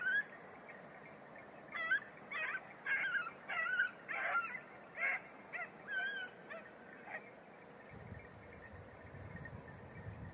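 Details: Beagles of red-blue tick and lemon-white colouring training on hare on Crete, Greece, giving excited, wavering yelps in a quick, uneven burst that then tapers off, with low wind rumble near the end.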